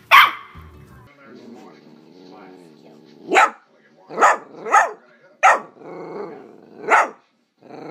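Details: Puppies barking, taken from a compilation of cute puppy videos: a run of five sharp, bright yaps about half a second to a second apart, with low murmuring and room noise in between.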